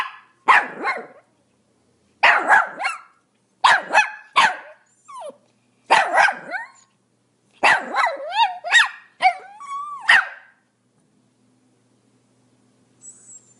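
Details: Rapid clusters of high, sharp yaps from a Pomeranian, two or three barks per burst, later turning into rising, whiny yelps before falling quiet.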